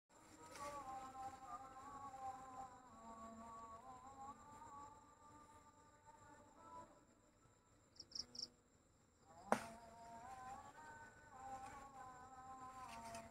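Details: Bee in a village, a droning buzz with a wavering pitch that swells, fades near the middle and returns strongly after a sharp click; brief high cricket chirps flicker around eight seconds.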